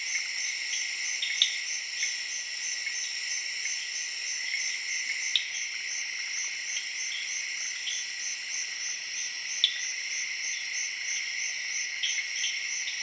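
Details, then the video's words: Evening cricket chorus in Zaire's jungle, mixed with tree frogs: unbroken high buzzing bands and a fast beating trill, its texture shifting slightly midway, with scattered brief pops and chirps. "Jungle Serenade:Tree Frogs & Crickets of Zaire in Late Evening"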